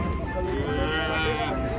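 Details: Cattle lowing as they come down from a truck. One loud, drawn-out, harmonic moo fills the short stretch, with faint voices in the background.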